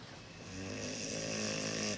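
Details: Cane Corso, a large rare dog breed named Mugi, snoring: a steady rasping drone swelling over two seconds with a low buzzy rumble and a hissing breath on top.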